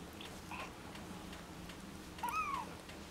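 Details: Bengal cat from a litter born 18 September 2013 gives one short meow near the end, a tonal cry that rises and then falls, after a quiet stretch with a few faint clicks.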